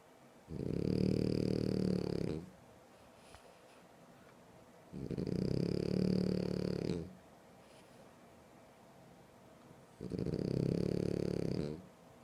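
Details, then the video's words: French Bulldog asleep, snoring loudly and steadily: three long rumbling snores of about two seconds each, roughly every five seconds, each carrying a faint high whistle, with quiet breathing between. "ТОП храп"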